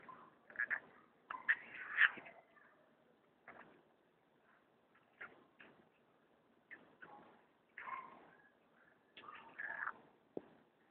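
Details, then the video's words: A pet striped hyena cub during feeding makes scattered high squeaks and short whimpers in irregular clusters, separated by quiet gaps, with a faint low hum indoors. "my pet striped hyena cub.....feeding time"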